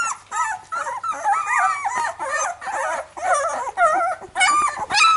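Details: Several Labrador Retriever puppies crying together, wavering whiny squeals in bursts, with a faint low hum underneath.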